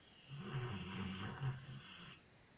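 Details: Loya, a female Labrador retriever, snoring while asleep; one long low rumbling breath lasting about two seconds with a rough, buzzing texture, then quiet.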